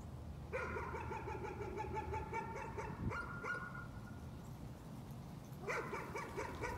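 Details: Nuisance barking from a dog: quick runs of sharp, evenly spaced barks, about four per second, lasting some three seconds, then a pause and a fresh burst near the end, over a low background rumble.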